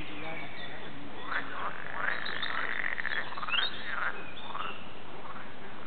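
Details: Frogs in the Warande, Tilburg, give short chirping notes, some sweeping up or down, over a low steady rumble.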